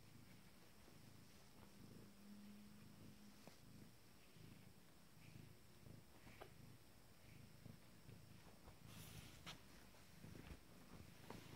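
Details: A female Abyssinian kitten, 19 days old and from a first litter, stretching her legs. She gives a continuous low purr in regular pulses, with a brief higher hum near the start and light scratching noises later.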